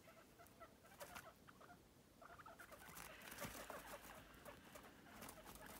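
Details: Pet guinea pigs moving energetically around their playpen give a quick, irregular run of short, soft, low clucking notes. Pattering footsteps and rustling bedding run underneath.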